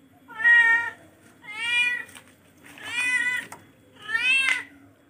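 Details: Domestic cat, a charcoal F1, meowing four times in about five seconds; each meow is a drawn-out, harmonic-rich wail holding steady then bending slightly, separated by short pauses over a low steady indoor hum.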